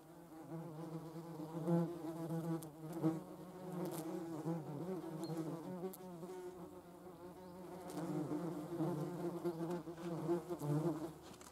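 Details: Yellowjackets at work gathering protein for their larvae: a persistent low, droning wingbeat hum with shifting pitch and a few faint clicks and knocks in the background.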